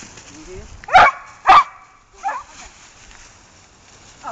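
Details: Dogs outdoors at Queen Elizabeth Country Park: two sharp, loud barks about half a second apart, followed by a softer short yelp and a faint rising whine at the end, over quiet outdoor background.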